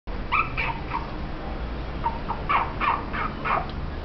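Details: Japanese Spitz puppies about two weeks old giving short, high squeaky whines, a few quick cries close together, then several more spaced through the second half, over a steady background hiss.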